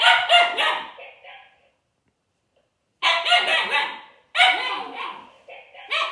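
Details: Puppy Juno, a Siberian Husky, confronting a toy robot named Dash with quick strings of three to four sharp, high barks, then a pause of over a second before the next volley.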